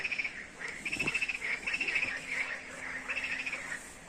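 A night chorus of frogs, many high, pulsing trills overlapping into a steady shimmering din.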